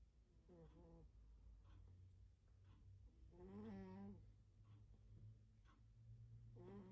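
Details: Loud snoring from a sleeping cat in a small room: raspy, tonal snores about every three seconds, the middle one longest and strongest, with soft wheezy breaths in between and a constant low electrical hum beneath.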